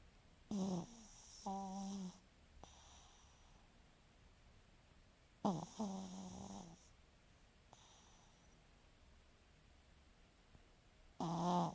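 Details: French Bulldog snoring: rough, rattling breaths in pairs, a harsh inhaled snore followed by a softer, more tonal, nasal exhale, the pattern repeating about every five seconds in a quiet room.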